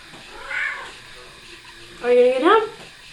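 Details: Kiki the cat, a female pet riding on a person's shoulders indoors, gives a rising harmonic meow near the end after a softer earlier call, with a person's voice coaxing her.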